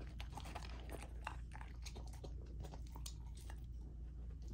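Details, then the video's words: Raw-fed Golden Retriever puppy Lilo, female, gnawing chicken and sockeye salmon at dinner in a small room: quick, sharp crunches and wet chewing clicks come in rapid bursts above a constant low rumble. "Golden Retriever Puppy Raw Dinner : Chicken Drumstick & Thigh , Sockeye Salmon ASMR EATING"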